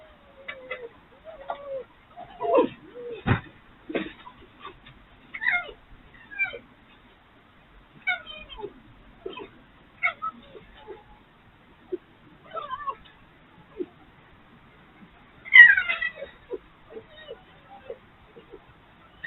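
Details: Three wild urban foxes at play during the night, a dominant fox's arrival having started the romp: scattered short yelps, whines and clicking chatter separated by pauses, one louder shriek near the end.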